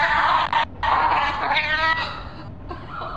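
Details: Pet cat giving loud, drawn-out harmonic meows, two long strained cries in the first two seconds followed by a softer wavering one.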